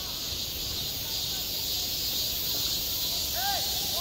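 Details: Cicadas droning through a hot summer day at a school playground, an unbroken sizzling high buzz; near the end faint distant voices rise and fall below the chorus.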